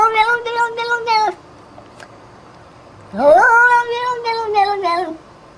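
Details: Domestic cat giving two long drawn-out meows, the first steady and the second rising sharply then falling away, both with a harmonic, slightly wavering tone and a pause between them indoors.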